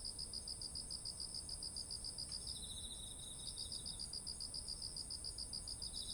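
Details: Autumn insect chorus by ripe rice fields: continuous rapid chirping pulses over a high ringing trill, with a lower second chirping voice overlapping in the middle.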